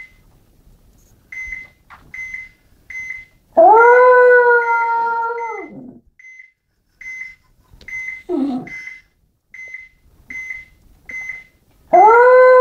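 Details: Small pet dog howling along to a steady, high electronic beeping repeated roughly twice a second. A long, smooth, slightly falling howl is followed by a short whimper, and a new loud howl begins near the end.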